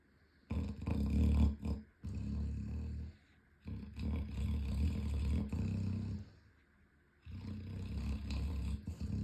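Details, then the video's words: Boomer Bear, an 11-month-old Chocolate Labrador, snores loudly while running in his sleep, with deep, rattling, growl-like breaths lasting one to three seconds, separated by short quiet gaps. "Our 11 month Chocolate Labrador running in his sleep and snoring loudly!!!"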